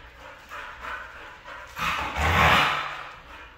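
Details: Red female Siberian husky making soft, muffled grumbles that build into a louder, rising whine-like yowl toward the end before tapering off.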